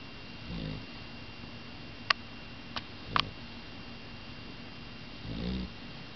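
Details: A young female dog, not yet full grown, snoring loudly indoors: two low rumbling breaths about five seconds apart, with a few sharp clicks between them.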